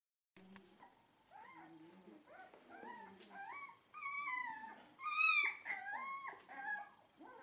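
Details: Dog at a Shiba Inu and Samoyed breeder in the Netherlands, recorded November 4, 2018 after the bed was cleaned. Drawn-out, wavering whines and yodelling howls rise and bend in pitch, growing louder toward the middle with bright harmonics.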